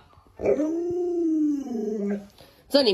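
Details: Luoluo, a pet Alaskan Malamute, vocalising beside its owner who is ill in bed: one drawn-out moaning howl that rises slightly, then slides gradually downward over nearly two seconds, ending in a brief louder yelp.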